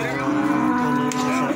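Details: Feeder cattle at Plaosan cattle market, Magetan, give a steady, drawn-out moo with a rich stack of harmonics, held evenly for over a second, with market chatter and bustle behind.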